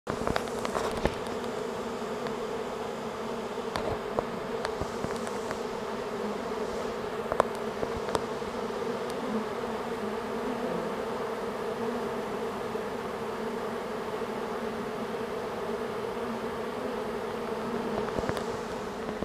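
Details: Honeybee swarm moving in. A dense, steady droning hum with strong low bands runs throughout, with occasional sharp clicks and ticks on top.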